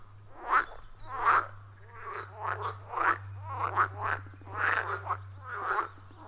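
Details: Frogs calling at a wild forest pond, captured with an iPhone 14 Pro and Shure MV88+ microphone: about ten short, harsh, gargling croaks in six seconds, from overlapping callers, above a constant low hum.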